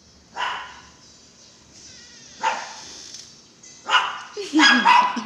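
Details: Belgian Malinois giving single loud barks at irregular intervals, ending in a quick pair of barks, with a person talking in the background between them.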